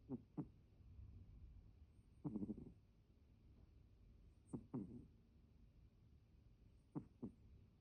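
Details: Sleeping domestic cat snoring in a way that differs from its usual snore: soft, low, breathy double snorts recurring about every two and a half seconds, with near-silence between them.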